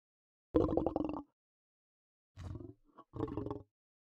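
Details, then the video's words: Lion giving three rough, pulsing roars: a loud first burst lasting under a second, then a pause, a shorter growl with a faint grunt, and a final rasping burst, all against silence. "صوت الأسد Lion's voice"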